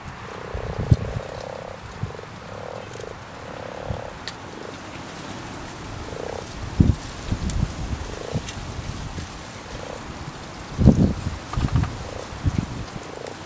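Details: Common frogs croaking in a pond at spawning time, a dense run of short, low, grating croaks repeated about every half second early on, then scattered ones. Low knocks and handling bumps throughout.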